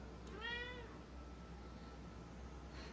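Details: Cat uttering a brief rising-then-falling meow over a steady low hum; someone addresses it in Korean.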